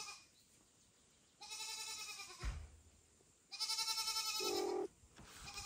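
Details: Kittens near mother cat Kira, foster kitten Ginny and kitten Leo among them, call loudly: two sustained, reedy cries, the second louder and longer, with a low thud and a brief hum between.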